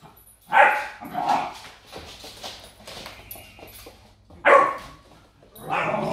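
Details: German Shepherd x African Boerboel puppy named Rocky, 2.5 months old, playing a mop fight; short harsh barks and growly yips in bursts around one and four and a half seconds, with softer rough noises between.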